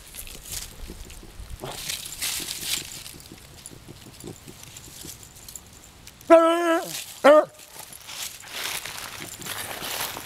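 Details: Bonnie, a 20-year-old beagle on the hunt, lets out two loud, wavering bays late in the recording after a stretch of rustling and footsteps outdoors.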